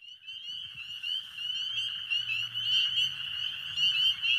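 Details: On a warm, rainy spring night, a dense chorus of spring peepers gives many high, piercing peeps overlapping into a continuous shrill ringing.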